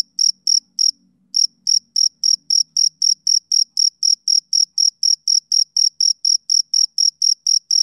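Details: A male cricket chirps on a summer evening. Rapid high chirps repeat about four per second after a brief early pause, while a faint low murmur fades out in the first seconds.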